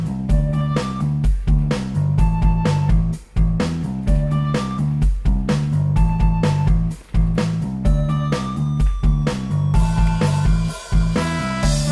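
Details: Strummed blues guitar with deep bass and drums, two short pauses, and no animal sound.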